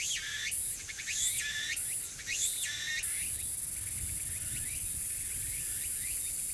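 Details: Tsukutsuku-boshi cicada in early autumn afternoon, 6 September 2022, at Furuta Magarikawa, Nishinoomote, Tanegashima, Japan: about three seconds of loud, rising buzzy phrases in quick succession. Fainter repeated sweeps and a steady high hiss follow.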